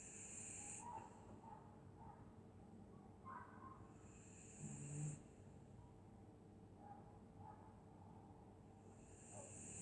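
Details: Dog snoring while asleep on a winter night in Scotland: soft, low, rumbling breaths rising and falling every few seconds under a steady faint hiss, with one louder snort-like breath midway.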